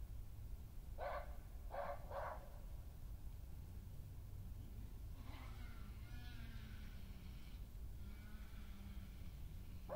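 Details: Resident female badger Hattie, most dominant of the females, attacks an intruding badger on her patch, 20 May 2018; three sharp harsh yelps, then a low wavering growl that rises and falls under the steady low noise.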